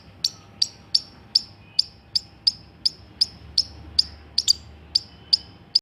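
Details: Squirrel giving a steady series of sharp, high, clicky chirps, about sixteen in six seconds, spaced roughly every 0.4 seconds with an even rhythm; a faint constant low hum runs underneath.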